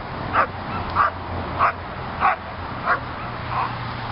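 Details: Trained female German Shepherd gives six short, mid-pitched barks in a steady series, roughly one every 0.6 seconds, the last one softer, over a faint low background hum.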